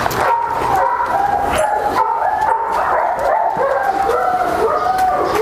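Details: Flat-backed German Shepherd mother and daughter, reunited after a year apart, now playing together; a run of high, wavering whines and yelps that rise and fall, repeated almost without pause for the whole stretch.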